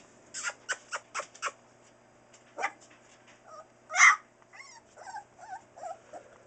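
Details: Four-week-old Newfoundland puppies from Buffy and Smokey's litter, born October 30, 2013: a quick run of five short clicks, then scattered high whimpers and squeaky yips, with one louder yelp near the middle.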